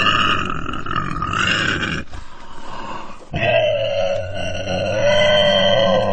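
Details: Pig crying with a loud squeal, a brief quieter rough patch, then a long, steady, high-pitched squeal over low grunting.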